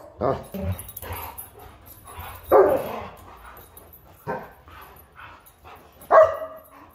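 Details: German Shepherd and Huskies play fighting: scattered rough barks and grumbling growls at irregular intervals, with one sharper, higher bark near the end, separated by quieter rustling.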